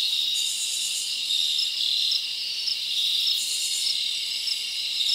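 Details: Summer night in the forest, with crickets chirping: a continuous high, ringing insect chorus, louder bursts swelling about every three seconds over the steady buzz of many callers.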